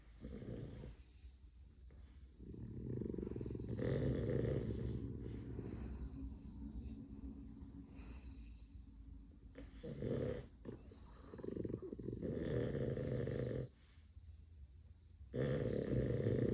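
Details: Four Boston Terriers relaxing on a rainy, dark day snore in their sleep, with low, rattling breaths that come in uneven rounds.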